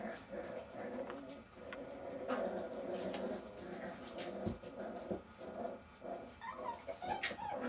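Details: Jack Russell Terrier puppies from Silvi's litter, indoors, growling steadily in low rumbling bursts that overlap almost continuously, with a few sharp clicks and thuds from the room.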